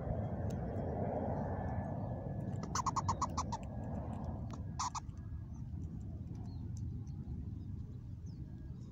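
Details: Unusual call from a mother squirrel, Mama Squirrel, in a new spot: one brief rapid burst of clicking pulses near three seconds and a second short burst near five seconds, amid low steady background rumble.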